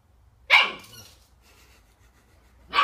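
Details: Puppy from a cute puppy barking compilation lets out a loud, high, sharp bark that trails off over half a second, followed by quiet, then a second bark starting at the very end.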